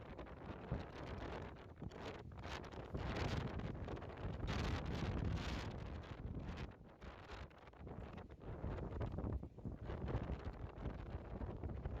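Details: Strong wind buffets the microphone with steady rustling and low rumble throughout, with no animal calls.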